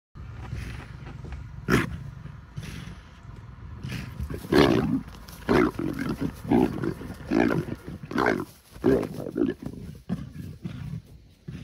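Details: Male African leopards fighting; harsh rasping roars and snarls burst out in rapid, uneven volleys, growing louder and denser from about four seconds onward, with short gaps between outbursts.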